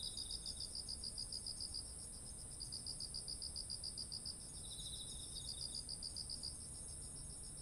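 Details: Autumn insects by ripe rice paddies: several trains of quick pulsed chirps with short breaks, overlapping softer trills from a second caller, and a continuous high hissing drone of distant insects.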